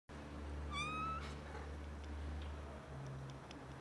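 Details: Domestic cat during a mating chase, a male pursuing a female who refuses him; one short, rising meow sliding upward, then quiet, over a steady low hum.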